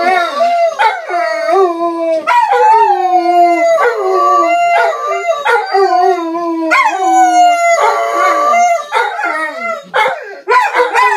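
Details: German shorthaired pointers howling as they listen to recordings of themselves howling; several overlapping wavering tonal howls, rising and falling in long drawn notes, with more than one dog joining in.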